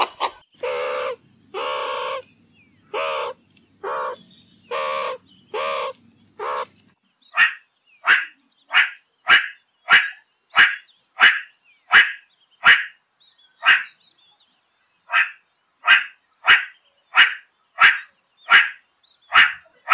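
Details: A meerkat gives a string of longer harmonic, nasal calls with a faint low hum beneath, then switches to short clipped chirps repeated roughly once every second.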